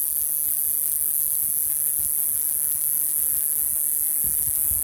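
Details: A male cicada on a Pacific Madrone shedding its bark in June in Ruch, Oregon, sings a steady, very high, unbroken buzz to attract females.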